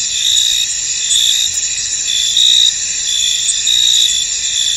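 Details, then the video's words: Under the fog over a field, crickets make a shrill, continuous chorus broken by louder chirping trills that come roughly every second, somewhat irregularly. "Tranquil Cricket Sounds In An Misty Field"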